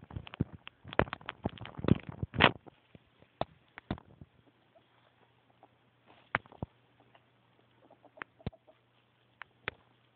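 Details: Happy pet ferret indoors, giving rapid soft clucking chuckles in a dense burst over the first two seconds, then scattered single clicks, over a steady low electrical hum.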